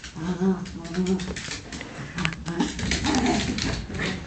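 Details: Bunny and the smaller Cookie, two pet dogs, wrestle playfully indoors, giving steady throaty growls and grumbling snarls that rise and fall over a few seconds, mixed with rustling and thumping from the tussle.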